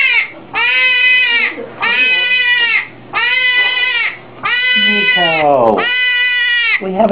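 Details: Hedgehog giving long, shrill, harmonic screams about a second each, repeated with brief pauses, with quieter lower cries and a falling wail overlapping near the end, plus faint background noise.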